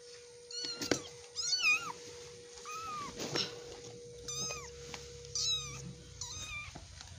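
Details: Cute, affectionate domestic cat giving a run of high, thin meows, each one rising then bending down, about seven calls over seven seconds, with a steady faint hum underneath.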